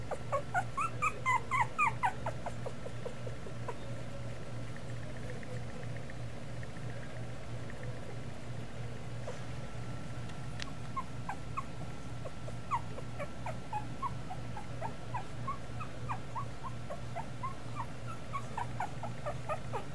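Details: Two-week-old Miniature Schnauzer pups squeal in a quick burst at the start, followed by scattered soft, high whimpers through the rest, with a persistent low hum.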